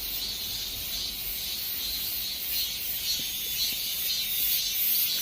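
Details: Cicadas singing at the end of summer: a dense, steady high-pitched buzzing chorus with a faint pulsing shimmer, continuous throughout and no other clear sounds.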